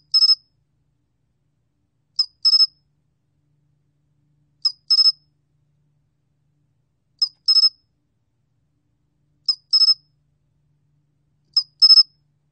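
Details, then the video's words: Sol cricket recorded by the National Institute of Biological Resources, Korea, in 2020: high, pure-toned chirps, each a brief tick followed by a quick two-to-three-pulse trill, repeated six times about every two and a half seconds against complete silence. "솔귀뚜라미, 1번 듣기, 곤충소리"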